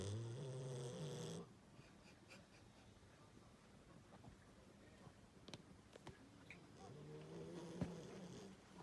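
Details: Great Pyrenees Koharu snores loudly, a deep rasping breath at the start that cuts off abruptly, then near-quiet room sounds, then another low, grumbling snore building toward the end.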